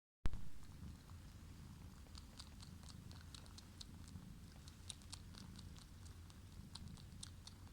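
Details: Domestic cat making a weird sound: a low, steady purr-like rumble runs throughout, with scattered faint high clicks on top.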